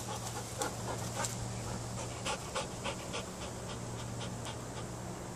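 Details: Belgian Malinois dog panting in quick, fairly regular breathy bursts around 200 per minute, soft noisy puffs over a constant low hum and background noise.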